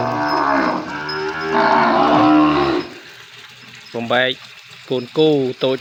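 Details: Recently weaned calves, separated from their mothers and penned apart on a Cambodian farm, crying; a long sustained moo fades, then short rising bleating calls after a quiet gap, with a man speaking.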